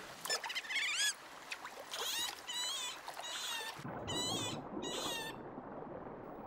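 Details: Sea otter calling with a rapid series of shrill, wavering squeals and whines, partly overlapping, then a broad rushing noise rises beneath the final cries.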